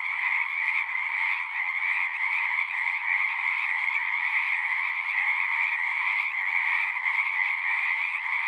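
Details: A dense chorus of singing frogs, many voices merged into one constant trilling drone, mid-high and slightly raspy. The level stays flat and the chorus fills the whole stretch.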